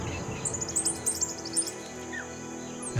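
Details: On the African savanna, a Dwarf mongoose sentinel gives alarm calls warning of danger from above after spotting a pair of young eagles: rapid bursts of thin, high chirps through the first second and a half, over a soft music bed.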